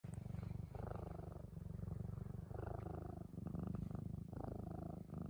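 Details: Black domestic cat purring while lying beside someone; a steady low rumbling purr in rhythmic pulses, each breath phase lasting about a second with brief pauses between, with faint rustling.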